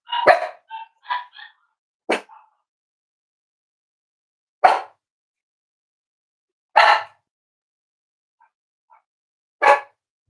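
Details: Cavalier King Charles Spaniel puppies exploring and playing with each other: a quick run of three high yips opens, followed by four single sharp barks at irregular intervals of about two to three seconds.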